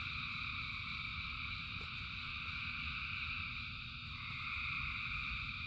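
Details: Thousands of frogs singing in rain: a dense, unbroken chorus of high trilling tones held steady throughout, over a low continuous rumble of rainfall with a single sharp drop click near the middle.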